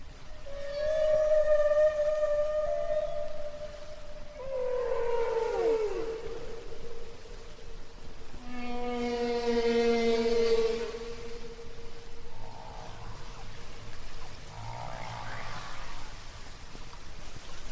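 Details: Humpback whale song, the recording carried aboard a Voyager spacecraft into outer space: long sustained moaning tones, a descending swooping wail, a low groaning unit and fainter upsweeping cries over steady ocean hiss.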